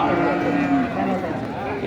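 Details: Sahiwal cow at the Nandail Chourasta cattle market, 10/04/2025. One low, level moo lasts under a second, followed by a fainter second note, with a man speaking over it and market noise behind.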